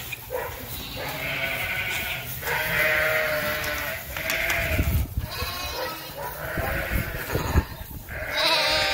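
Sheep give a run of wavering, nasal bleats, one after another every second or two, some overlapping as several animals call together.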